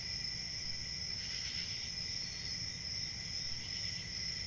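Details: A dense chorus of crickets chirping, with a continuous high-pitched ringing trill and a brief swell of louder pulsed chirps near the middle, over a faint low rumble.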